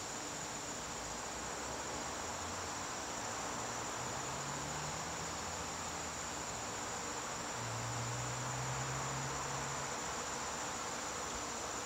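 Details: Crickets trilling in a garden in the September evening, a steady high continuous ring throughout, while low humming sounds, like distant engines, rise and fade underneath.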